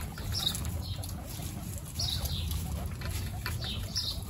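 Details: Pet guinea pigs meeting the babies Snow, Pistachio and Pumpkin for the first time. Thin descending squeaks come in loose bursts above a constant low rumble of movement and bedding.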